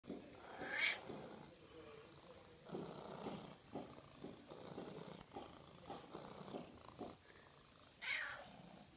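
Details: Cat (Felis catus), meow.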